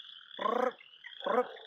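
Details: While outdoors in spring frog-calling season, two brief, raspy chorus frog trills, each a quick run of clicking pulses like a thumb drawn along a comb, over a steady high chorus of other frogs such as wood frogs and spring peepers.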